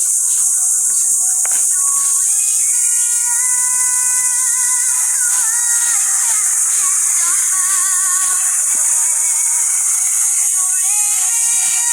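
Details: Loud electronic music with high, synthetic sung melody lines and a bright hiss throughout; no animal sound.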